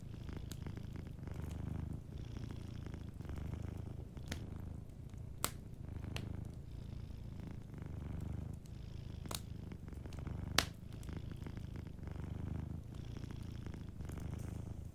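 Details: Gentle purr of a cat asleep beside a warm fireplace, a low vibrating hum in rhythmic breath cycles about every second and a half, with crisp fire pops and crackles scattered throughout.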